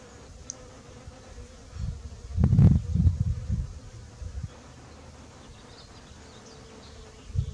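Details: Honey bees (Apis mellifera) at work pollinating a backyard garden in the morning; low droning buzz swelling loudest around the middle as a bee passes close, then fading to a quieter hum with faint background noise.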